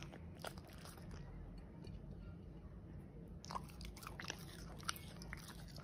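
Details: Corgi eating steak in close-up mukbang ASMR style, indoors: sharp crunchy bites and wet chewing clicks, sparse early then denser and louder after the midpoint, over a low steady hum in a quiet room.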